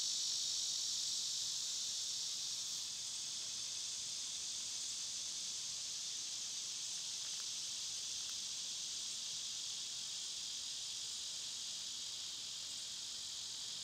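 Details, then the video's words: Summer cicadas, loud this time of year, produce a seamless high droning hiss that dips a little in loudness after the first few seconds, with a few faint ticks near the middle. "Cicada sounds"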